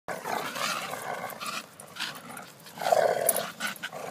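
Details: Bull terrier together with a Staffordshire terrier, two dogs: rough, noisy growling throughout, swelling into a louder, harsher burst near the end.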